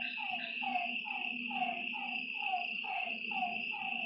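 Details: Frogs calling at night by a lake: short downward-sliding notes repeated about twice a second over a steady high insect trill, with a low continuous hum beneath.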